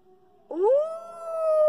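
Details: Wolf howl from a pack: a single clear tone begins abruptly after half a second of near silence, swoops upward and then holds a long, steady, slightly wavering pitch to the end.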